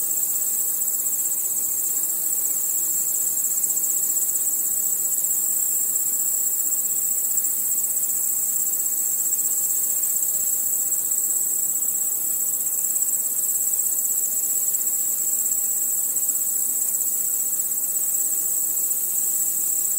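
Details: Many crickets chirping at night in a continuous, rapidly pulsing high-pitched shrill band, unchanging and steady throughout, with no other clear sounds.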